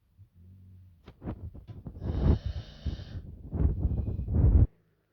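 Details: Mayom, a little female puppy, taking a nap: rough, low wheezing snores building in loudness over about four seconds, with throaty rasping bursts, then silence.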